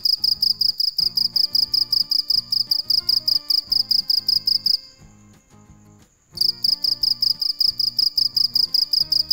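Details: Cricket (dế mèn) at night producing rapid high pulsed chirps, falling silent for about one and a half seconds mid-way before resuming the same quick, even rhythm; gentle music beneath.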